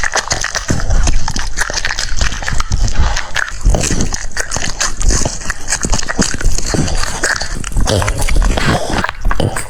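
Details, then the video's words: French Bulldog eating cucumbers, its jaws producing dense, crunchy, wet chewing noises as rapid irregular bursts of crackling bites that run continuously through the whole stretch, close and loud, with no other clear sounds. "The sound of chewing cucumbers"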